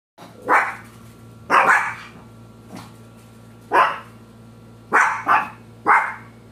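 Short, bright barks from a Shih Tzu come singly or in quick pairs, spaced unevenly a second or so apart. A faint low electrical hum runs steadily underneath.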